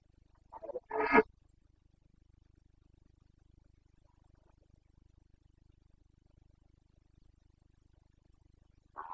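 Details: Carpathian stag in the Bucovina mountains, Romania, during the September rut, 2022; two short rough roars in quick succession, a long quiet gap with faint low hum, then another roar beginning at the very end.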